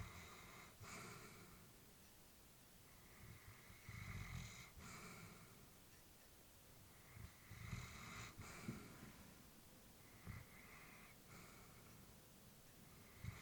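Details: An old female Labrador sleeps at home, her breathing audible as soft snoring rasps, breaths roughly every three to four seconds, some with slight wheezing and snorting, in a quiet indoor room.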